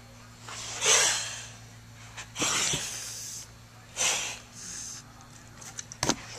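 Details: Motherless kittens practising defensive hissing as they learn survival skills; a few sharp, airy hisses with a quick spitting burst near the end, over a low indoor hum.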